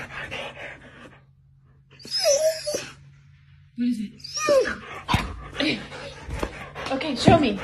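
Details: Doberman indoors telling his owner that squirrels are back: high whining cries and short sharp yelps, mixed with a woman asking what it is.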